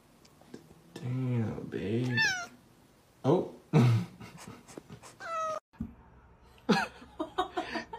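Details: Domestic cat in an indoor room, with short falling meows that sweep down from high, thin tones, mixed with people talking, a cry of "oh" and bursts of laughter.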